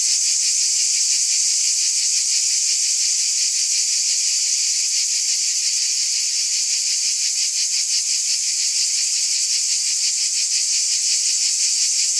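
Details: On a summer night, a cicada chorus fills the air with a bright, hissing, unwavering buzz, rhythmically pulsing and never pausing.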